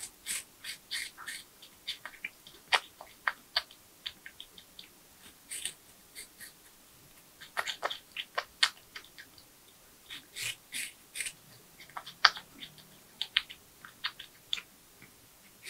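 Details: A porcupine eats nuts, bananas, sweet potatoes, apples and carrots in a close-up ASMR recording: crisp crunching bites and gnawing clicks come in irregular bursts, with short quiet pauses between mouthfuls in a silent room.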